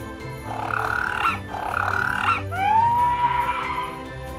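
A fur seal gives two harsh, raspy bursts, then a long wavering bleat that rises and holds. Soft background music plays underneath.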